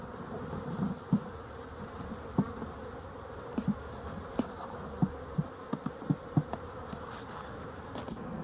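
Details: A continuous droning hum from many honey bees, dated 12-11-23, sits under a scatter of brief knocks and ticks repeating irregularly every second or so, with a fuller low-frequency rumble.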